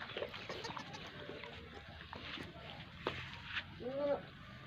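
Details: Goat in a village during the birth of a kid: a short wavering bleat near the end, preceded by scattered clatter and faint voices.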